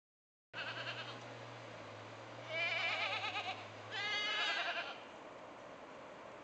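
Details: Mother goats calling their kids to come home, each goat with its own voice; two loud wavering bleats with a quavering tremolo, about a second each, over steady background hiss and a low hum.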